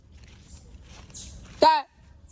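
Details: Otter giving a single short, harmonic-rich squeaky chirp that bends downward, standing out from a quiet, faintly rustling background.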